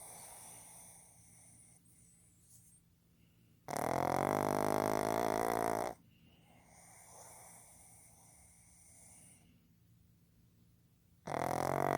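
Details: Fukuzo, a male pug born 15 July 2020, snoring loudly while asleep: two long, steady, rasping tonal blasts, each about two seconds, separated by quieter breathy wheezing.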